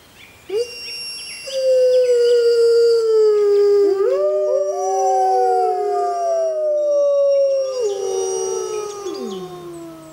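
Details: Six Arctic wolves howl together in a concert. Several long, smooth voices overlap and weave at different pitches, some gliding down and others holding steady, in a sustained chorus that swells and then tapers off.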